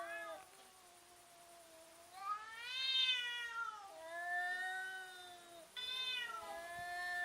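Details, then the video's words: Domestic cats intimidating each other while fighting: a continuous rich harmonic caterwaul that swells, rises and falls in long wavering phrases, breaking off and restarting with a sharper, louder yowl, faint hiss behind. "funny cats intimidating each other and making strange sounds"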